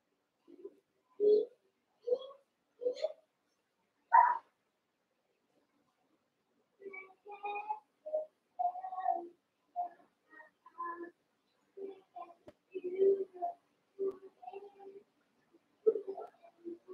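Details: Young Cavalier King Charles Spaniel puppies, eight of them, play-wrestling in a pen; short squeaky yips and whimpers in uneven bursts, some rising, mixed with low play growls, nearly continuous after a brief pause.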